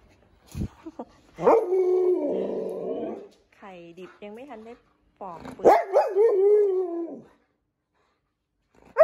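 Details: Siberian Husky reacting to boiled eggs given as treats; drawn-out moaning vocalizations and a stacked, wavering yodel-like call in separate bursts, with a person speaking Thai nearby.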